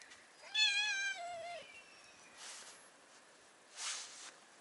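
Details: Stray brown tabby cat on a cat island in Japan, wanting to sit on a lap: one clear drawn-out meow about one second long, rich in harmonics and falling slightly at the end, followed by soft rustling and faint background noise.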